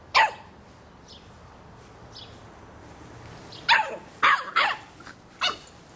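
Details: Boston Terrier puppy, three and a half months old, barking at a soccer ball: one sharp bark at the start, then after a pause a rapid burst of four loud, bright yips and barks.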